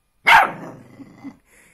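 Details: Puppy making a talking, arguing bark: one loud, harsh bark, then a lower trailing grumble with two small pulses, ending in a brief faint high note.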